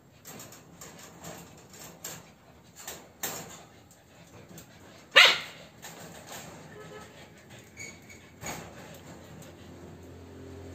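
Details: A Corgi and an Alaskan puppy at play: scattered soft yips and whimpers, then one sharp loud bark midway, followed by faint scuffling and low murmurs.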